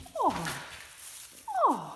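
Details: In a kennel, four-week-old puppies born to Teacher give two drawn-out whimpers, each sliding steeply downward from a high start, separated by over a second of low background hiss.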